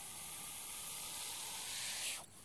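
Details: Non-venomous hognose snake, the so-called Missouri cobra, rearing and hissing like a cobra in defensive display: a long, even rushing hiss of air lasting over two seconds, then cutting off sharply into near silence.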